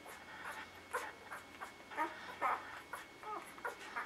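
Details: Newborn puppies from Maddie's litter whimpering, with short, high squeaks repeating rapidly across the four seconds over faint rustling and a steady background hum.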